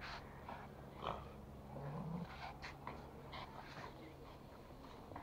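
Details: A toy Pomeranian plays with a rope indoors in Kathmandu, Nepal, giving a low, rough growl with snorting breaths. Rustling and handling noises run underneath.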